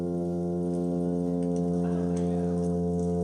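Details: A male plainfin midshipman (Porichthys notatus) drones a steady, low, foghorn-like hum with rich buzzing overtones, a courtship mating call to females to come over.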